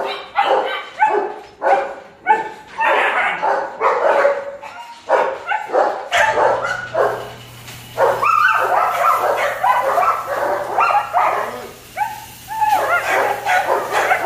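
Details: Several German Shepherd pups at a kennel bark and yip in quick, uneven bursts. A steady low electrical hum joins partway through and continues under the calls.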